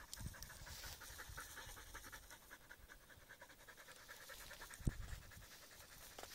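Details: Husky among reeds, panting steadily: quick, breathy rhythmic puffs repeating without pause for several seconds, with a brief louder thump near the end.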